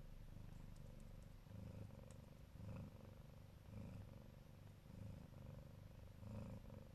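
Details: Purring Siberian Neva Masquerade mother cat guarding her kittens lovingly: deep, steady rumbling with rhythmic surges roughly once a second, each breath cycle rising and falling clearly.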